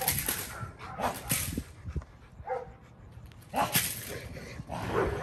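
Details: Male Rottweiler named Kolohe on his first day of bite work in protection training, giving harsh, loud barks in short bursts at the start, around one second, and near the end, with voices and handling noise between.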